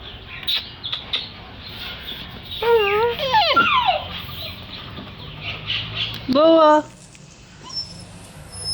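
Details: Puppy in Delhi giving soft cute noises: a drawn-out, wavering whimper near the middle sliding downward, then a single brief, clear whine about three seconds later, with quiet rustling and faint high tones around it.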